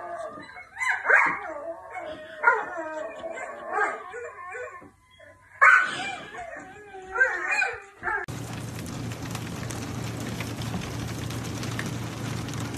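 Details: Dog in a funny pet compilation giving a run of high, wavering yips and short howl-like cries, several bursts over about eight seconds, then a steady broad hiss of noise takes over.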